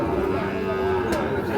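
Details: Sahiwal bull calf at the Ambari cattle market, Parbatipur, Dinajpur, on 26 March, giving a sustained, steady, tonal moo lasting nearly two seconds over a constant background murmur of the crowded market.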